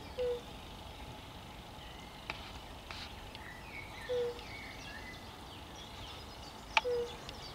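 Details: European fire-bellied toad recorded on 10 May 2021, giving short, soft, mellow single notes spaced several seconds apart over a steady background hiss, with a few faint clicks.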